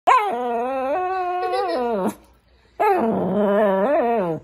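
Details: Pet Shih Tzu indoors, said to be trying to talk to its owner, giving two long harmonic moaning growls, the first steady then falling, the second wavering and rising, separated by a short pause.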